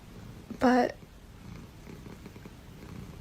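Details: Pet cat indoors gives one short, clipped, nasal meow, loud and rich in overtones, against a quiet room with faint background murmur and a sudden noise at the very end.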